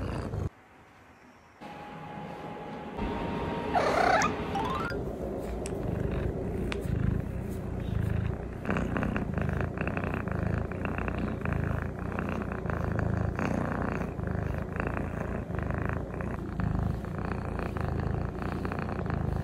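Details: Norwegian Forest Cat purring at close range, a steady low rumbling pulse that runs unbroken for about fifteen seconds after a brief whistle-like tone and a burst of handling noise at the start.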